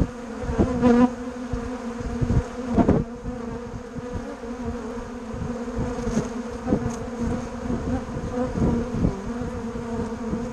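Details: Bumblebees and honeybees at Bourneside make a steady, low humming drone, many wings buzzing together without pause, with brief louder swells as individual bees pass close and a few soft knocks near the start.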